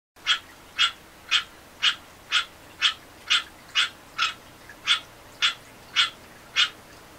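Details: A captive male American green tree frog (Hyla cinerea) gives short, nasal, honking advertisement calls about twice a second, prompted by playback of another individual's call.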